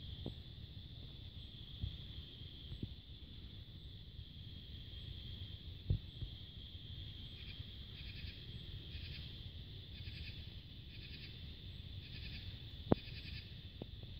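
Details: Cicadas on a peaceful July 2022 summer twilight under a crescent moon keep up an unbroken high-pitched hum; midway another insect adds rhythmic buzzy pulses about twice a second, over a low rumble and soft clicks.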